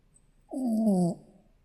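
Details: Sleeping Shih Tzu puppy giving a short nasal snore, a single low buzzy breath lasting just over half a second with faint hiss above, then quiet room.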